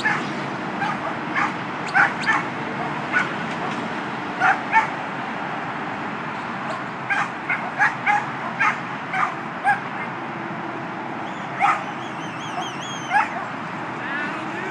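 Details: Two-year-old Border Collie Skye, a female training to herd for her second trial, barks in short, irregular clusters of yips, with a warbling whistle sounding about three-quarters of the way through.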